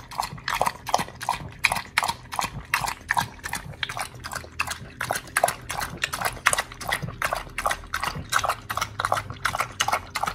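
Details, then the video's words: Wet, crunching chomps from Oli the pit bull working through a raw fish and steak meal, taped on August 4, 2023; bites come in a fast, fairly even rhythm throughout, loud and close, with a faint low hum underneath. "Oli The Pit Bull eats🥩🐟🌱RAW FISH&STEAK [ASMR] MUKBANG 犬が生の肉を食べる [咀嚼音]"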